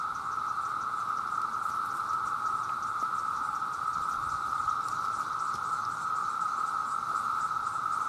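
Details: A huge chorus of male cicadas calling for mates pours out one even, continuous whine, loud and unvarying from start to finish, with faint high flickering chatter on top.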